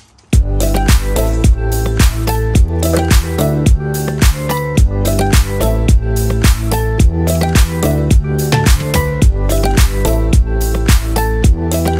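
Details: Loud upbeat funk-disco dance music with a regular driving beat fills the whole stretch, and no animal is heard.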